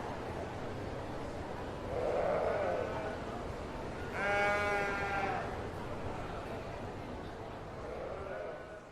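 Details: Sheep bleat at a distance: a low muffled bleat, then a clearer, quavering bleat of about a second, with quiet background noise between calls.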